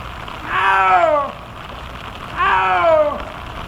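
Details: Liebe, a 21-year-old female snow leopard at Hamamatsu Zoo, Japan's oldest, filmed 12 July 2024 on a rainy day while walking outdoors, her voice slightly lower than when young: two drawn-out, harmonic, mewing calls, falling at the end, two seconds apart, over light rain.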